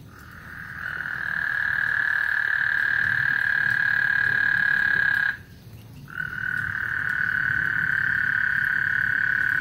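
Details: Frogs singing on Lake Houston before a thunderstorm: a long, steady, mid-pitched trill holds for over four seconds, breaks briefly, then resumes at the same even pitch over a low background rumble.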